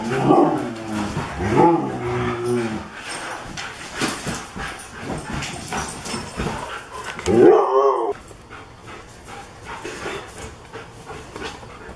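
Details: Huskies Alexei, a lighter rescued dog found dumped on a road, and darker Ivan, with Odessa, a Great Pyrenees cross, during a play session on 10/20/16; two bursts of harmonic growling yowls open, another comes near 7.5 seconds, amid scuffling and a steady high hum.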